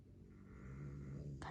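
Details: A sleeping puppy being tickled, indoors, gives a low, steady, droning snore-like hum with a buzzy tone, growing slightly louder, then a brief soft rustle at the end.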